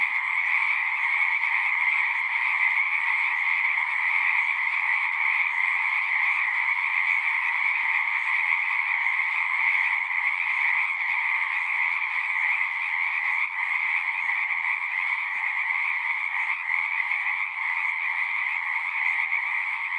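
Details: A steady chorus of singing frogs, countless overlapping trills blending into one constant buzzing wall of sound without breaks, recorded as natural sounds.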